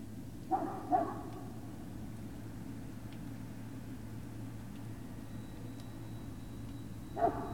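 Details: From Puppy Hill with Great Dane puppies, evening of 19 February 2019: a quick pair of sharp yips, then a long quiet stretch of low hum, then one more yip at the end.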